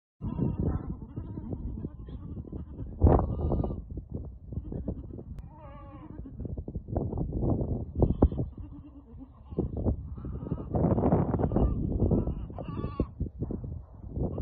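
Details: Goats on sale in Al-Summan, six with their billy and seven young following, give a few short quavering bleats among loud rustling, wind and handling noise.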